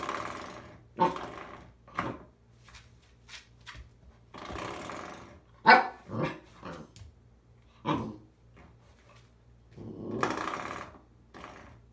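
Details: An Alaskan Malamute puppy that has found a new toy gives short, irregular yips, grumbles and growly barks in a small room.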